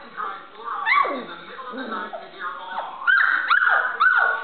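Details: Standard Poodle puppies learning to play and bark: short high yips and whiny upward-then-downward slurred cries, several close together near the end, with people talking in the background.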